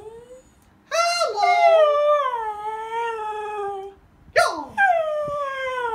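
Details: Pet Siberian Husky inside a home, vocalizing in dislike of its owner's imitated Mickey Mouse voice: a drawn-out howl that sags gradually over three seconds, a short pause, then a second sharp-onset howl sliding downward.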